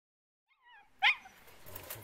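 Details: Hounds trying to catch an escaping squirrel: faint thin whines rise and fall, then one sharp, loud yelping bark cuts in, followed by scuffling noise.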